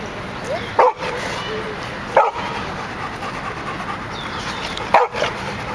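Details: Rocky, a dog, getting into the water for the first time, gives three short, sharp barks spaced unevenly over about five seconds, with a steady background hiss between them.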